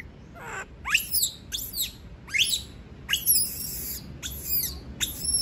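A monkey gives shrill, rising screams in quick succession, protesting at being left alone.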